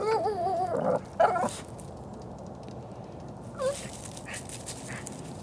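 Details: Shih Tzu named Henry giving his odd squirrel bark at a gray squirrel: a drawn-out, quavering bark then a short sharp one, followed by near silence with a faint, distant yelp.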